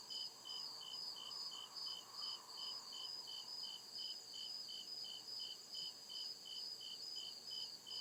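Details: Crickets at night in the deep woods of a forest, chirping in steady, evenly spaced high pulses about two or three per second, layered over a continuous shrill trill and a faint lower insect hum.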